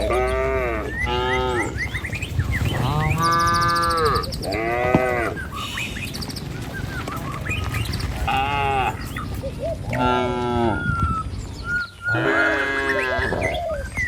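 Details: Dozens of tame cattle in a herd heading to their pen along a village road, lowing repeatedly: long, deep, drawn-out moos that bend downward, one after another from several animals, over steady rumbling background noise.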